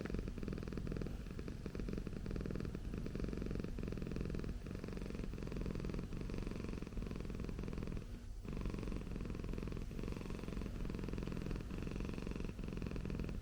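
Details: Okayu the Persian cat purring at home for an ASMR recording. A steady low rumble pulses with regular breaths, and a brief soft click interrupts it around the middle.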